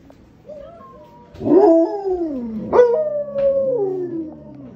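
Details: Pet Alaskan Malamutes howl along while watching playback of their own howling. Faint background howling is heard first, then a loud howl rises, wavers and slides downward. A second drawn-out howl follows, and several voices overlap in a falling chorus.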